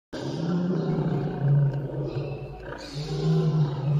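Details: Bengal tiger (Panthera tigris tigris), roar.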